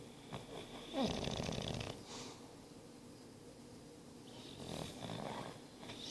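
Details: English Bulldog Boris, nine months old, sleeps and snores with wheezy, whistling rasps: a loud rough snore near the start, a pause, then another rattling, nasal breath rising toward the end.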